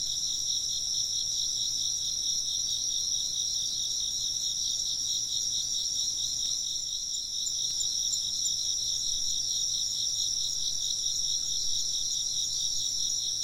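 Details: Chirping insects in an ambient nature recording: a dense, steady high-pitched trilling chorus of several overlapping callers, continuous throughout with no pauses; no wind chimes clearly stand out.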